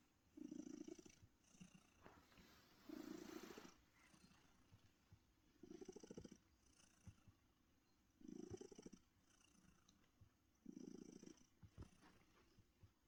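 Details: A rescued female domestic cat, born around 2016 and found living in a bush, purring while resting on a comfy chair; soft low rumbling bursts swell roughly every two and a half seconds, with quiet breathing between.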